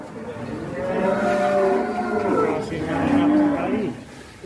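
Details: Large cattle coming out of the pen give a drawn-out lowing moo that wavers in pitch, partly overlapped by men's voices and faint background noise.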